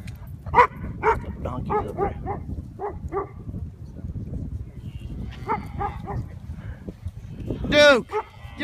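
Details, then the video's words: Duke, a 9-month-old German Shorthaired Pointer, barks at cows met during a quail hunt in Minco, Oklahoma, 2015; a run of short sharp barks, a pause, more barks, then a loud drawn-out harmonic cry near the end, with a man's voice. "Duke Barking at Cows"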